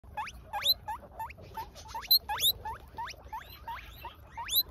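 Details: Guinea pig wheeks while an adult female steals grass from a baby: a quick series of sharp, squealing calls that sweep upward, about a dozen in under five seconds, with soft rustling beneath.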